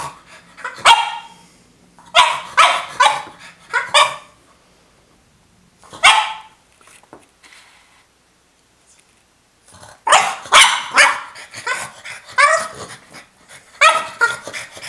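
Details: A female French Bulldog demanding her toy gives clusters of sharp, repeated barks, a lone bark, then a quiet pause before a dense, excited burst of rapid barking and a final few yaps.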